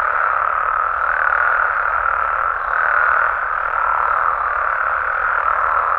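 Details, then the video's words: Frogs and toads calling at night in Mexican amphibian habitat, merging into one continuous buzzing drone of mid pitch with slow, gentle rises in loudness around the third second. "Mexican Frogs & Toads Sounds"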